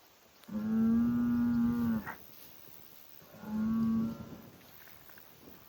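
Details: Highland cattle bull on a Finnish farm, kicking dirt and making noise; a long level low moo of about a second and a half, then a shorter one, each closing with a quick higher catch.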